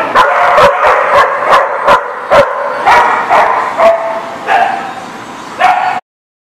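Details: A dog gives single loud barks at irregular gaps of about half a second to a second, some sharp and short, others longer and more whining, then stops abruptly.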